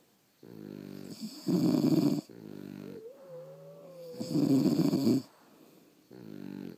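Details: French Bulldogs asleep at home, snoring steadily: deep, rattling harmonic snores alternate with quieter breaths, two loud grinding bursts, and a thin whistling tone sliding through one pause between them.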